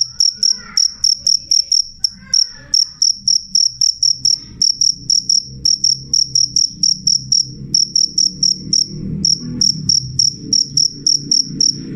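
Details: Cricket (jangkrik) giving a loud, clear series of shrill chirps at about four per second, while a low rumbling background grows stronger in the second half.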